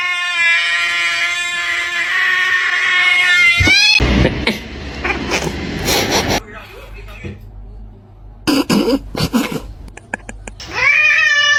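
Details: Domestic cats in a humorous compilation; a long, drawn-out harmonic meow opens, then speech, clatter and thumps take over, and another rising yowl returns at the end.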